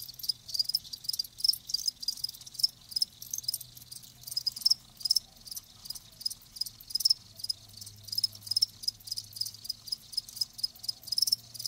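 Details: Many live crickets trilling together, shrill high chirps pulsing in short irregular bursts roughly several per second, steady background hiss and a faint low hum.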